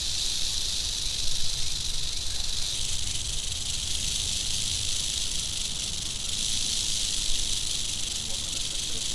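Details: Angry western diamondback rattlesnake producing a sustained, even, hissing high buzz from start to end, over low rumbling outdoor noise.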